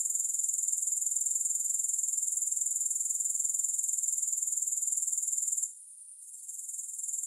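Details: Steady, piercing insect buzz from grasshoppers, rapid fine pulses running without a break until a short dip near the end, then building back up; no music or other sounds.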